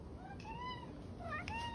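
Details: Two drawn-out, rising then gently falling meows from the OK Cat, a pet cat whose voice sounds like "okay", the second following the first after a short pause, with faint room noise behind.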